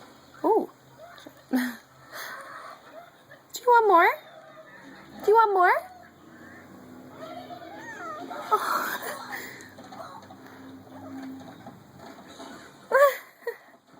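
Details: Female kitten excited by bubbles gives several short rising-falling meows in bursts, some doubled, amid a woman's coaxing speech about more bubbles and faint background music.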